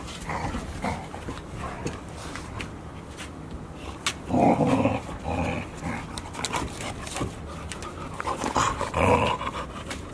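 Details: Golden Retriever puppies, five of them at 144 days old, romping together at Ain village, filmed 15 September 2018; two bursts of rough, voiced play growling about four seconds apart, with panting and rustling between.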